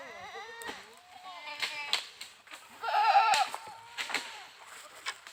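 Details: Goat bleats from an Indian goat farm: a long quavering cry at the start, then a louder strained bleat midway, with some background voices and knocks.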